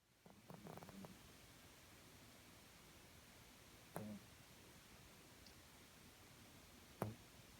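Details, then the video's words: Mel, a pet cat fast asleep indoors, snoring softly: faint low rasping breaths at roughly three-second intervals, each with a brief crackle, in a quiet small room. "いびきをかく猫 Cat is fast asleep snoring."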